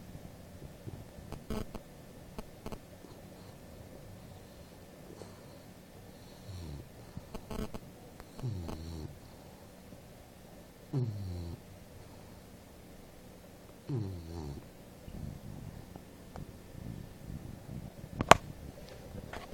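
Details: Apolo, an English Bulldog, snoring while asleep: deep, rasping, rattling snores rising and falling in rhythmic bursts every two to three seconds, with softer breathing between and a sharp click near the end.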